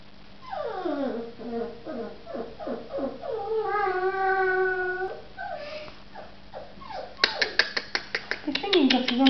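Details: Samoyed pups giving a string of short, falling whines that merge into a long, steady howl, then sharp clicking taps toward the end.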